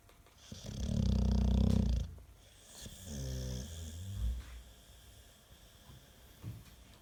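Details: American Staffordshire Terrier asleep and snoring louder than a washing machine on spin: a strong low snore of about one and a half seconds, followed by a softer, fluttering nasal snort and quiet breathing.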